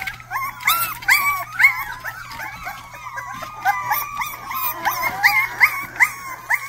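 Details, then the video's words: A Rottweiler puppy makes its first barks: rapid, squeaky yips repeated roughly twice a second, each a short rising-falling note, loud and clear against a low background hum. "first barks"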